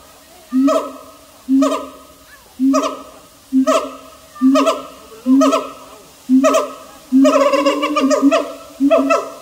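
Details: Siamang giving loud, resonant hooting calls, each a low swelling note followed by a falling harmonic wail, repeated about once a second and growing denser and more layered toward the end.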